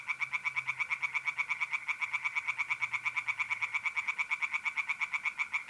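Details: Tree frogs in a pond in North-East Italy on a mid-April night: an unbroken, regular stream of loud, harsh croaks, close to three per second, with mole crickets trilling steadily underneath.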